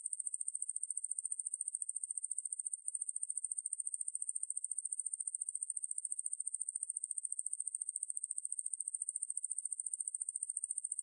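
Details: Wangmaeburi katydid calling: a continuous high, thin buzz made of rapid, evenly spaced pulses, steady throughout with one brief dip near three seconds; no other sounds.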